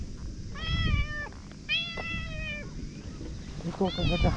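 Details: Karin, a ferocious stray boss cat of a harbor in Japan, at 18:00 when the captain arrives, gives three clear drawn-out meows, each steady then dropping at the end, over a low outdoor rumble.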